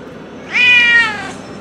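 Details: Single rising-then-falling meow, loud and clear, from a stray cat waiting for food by the sea at dusk, with a quiet low hum behind it.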